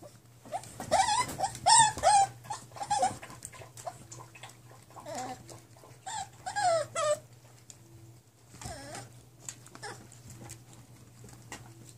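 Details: ['Nine-week-old mixed-breed foster puppies from one litter; bursts of high wavering whines and sharp yelps, several voices overlapping, quieter whimpers between, with a constant low hum underneath.']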